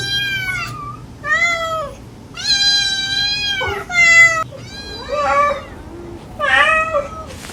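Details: Gentle calls of a stray mother cat to her kittens, mixed with the kittens' fond mewing; about six drawn-out, rich meows, some sliding and bending in pitch, with brief quiet gaps between.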